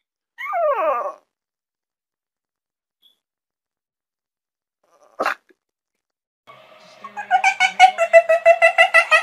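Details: Dog gives one high, falling whine, then a sharp click follows after a pause. Near the end comes a quick run of rhythmic, pulsing yaps that rise in loudness.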